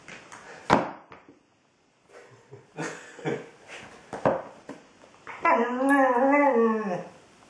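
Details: A female Border Collie "talks" to her ball while playing, giving a scattered run of brief yips, grunts and whimpers. She ends with a sustained, tuneful, wobbling whine that rises and falls like a small howl.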